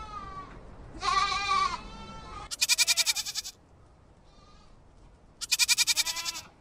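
A goat bleats repeatedly in nasal, harmonic-rich cries. Some bleats are drawn out and wavering, while others break into a fast, pulsing tremolo lasting about a second.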